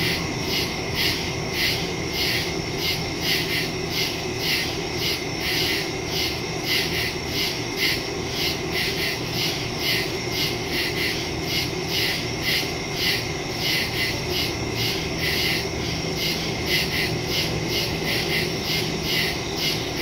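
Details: Crickets chirping in the woods at night in early September, captured on a smartphone with a stereo microphone: a dense, steady chorus of rapid, high pulsed trills repeating several times a second, with a faint low rumble underneath.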